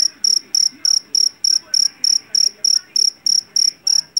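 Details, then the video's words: A loud, high chirping from a jangkrik jeliteng, a Javanese field cricket captured in a rice field. Clear, evenly spaced bursts arrive a little over three times a second above a quiet background. "SUARA JANGKRIK PENGUSIR TIKUS SUARA ASLI"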